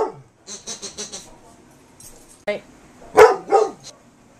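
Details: Carolina Dog and black Labrador trying to win back a squeak toy in a gentle 2008 play session; a run of four quick high squeaks, then a few short barks, with a man's voice at the start.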